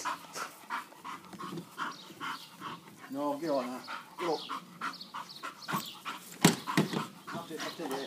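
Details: An English Bull Terrier named Albert gives short, rough barks and huffs in quick bursts while attacking a lawn mower and trying to eat it, with people talking nearby.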